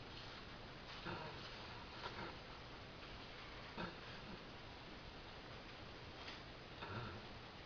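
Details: Halle, a pet dog, dead tired and asleep after a hard day, snoring: short snorting grunts at uneven intervals of one to two seconds over a steady indoor hiss.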